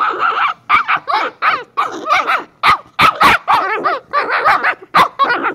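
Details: Shiba Inu pups Kyno and Niro in steady, loud back-and-forth yapping, short sharp barks and wavering yips, roughly two per second, with some high squealy notes mixed in.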